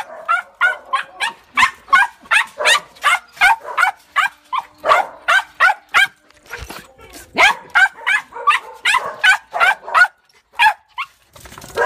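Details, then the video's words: Female rescue Tibetan Terrier, once found wandering city streets, just home after four months in kennels and prone to separation anxiety, barks sharply and nonstop, about three barks a second, with a brief break near the end. "Rescue dog home from Kennels cute and noisy"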